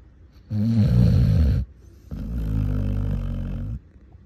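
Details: Basset hound snoring heavily in sleep: a harsh, rattling inhale followed after a brief gap by a longer, smoother low exhale.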